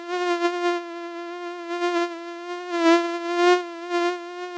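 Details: Flying mosquito producing a continuous, even, nasal whine with strong overtones and gentle pulses of loudness, without any other sounds.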